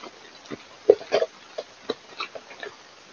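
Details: Wild boars in the evening during mud bathing give short, low grunts, about eight spaced irregularly across three seconds, some doubled, over a quiet background with faint rustling.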